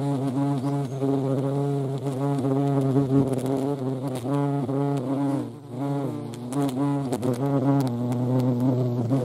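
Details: Continuous low, harmonically rich buzzing of a European hornet (Vespa crabro) at a feeding place, the pitch bending up and down as it hovers, with one short lull midway.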